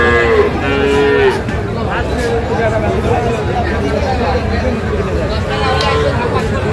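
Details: Local-breed dairy cows with calves at Kaharol weekly Saturday cattle market, Dinajpur, Bangladesh, 28 June 2025; several short, mid-pitched lowing calls amid busy crowd chatter and bargaining voices.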